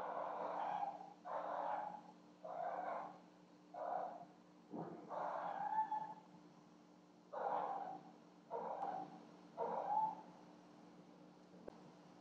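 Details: House cats Cleo and Annie making a racket at night while bringing presents, picked up by a home security camera: muffled, drawn-out yowls repeated about once a second, fairly even in pitch, over a low electrical hum.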